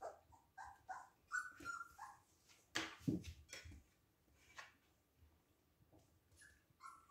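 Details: Siberian Husky puppies playing together: thin, high whines and yips come in quick bursts at the start, then a sharp scuffle and thump, followed by quieter rustling and a last whine at the end.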